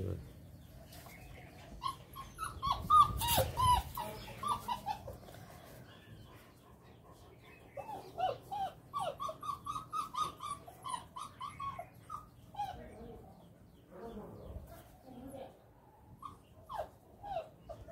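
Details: Male Great Dane puppy kept at a kennel near Ajmer Road, Jaipur, whimpering in quick runs of short, high, squeaky yelps, several per second, with a louder scuffling burst early on and little talking.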